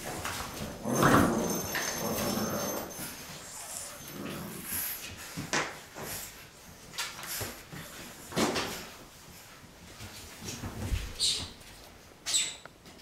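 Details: Boxer litter, six weeks old, playing indoors: a loud whining whimper early on, then scattered short yelps and squeaks over scrabbling paws and knocks in a small room.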